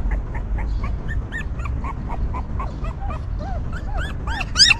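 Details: Newborn puppies in a stray dog's litter whimper continuously, short curved squeaks repeated several times a second, some dipping lower before a final louder, higher squeal, low rumble beneath.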